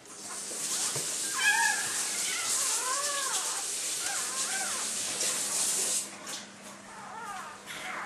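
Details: Freshly born Labrador Retriever puppy, the red female that was last of eight in the litter, gives thin arched whimpers every second or two beneath a steady broad hiss, fading toward the end.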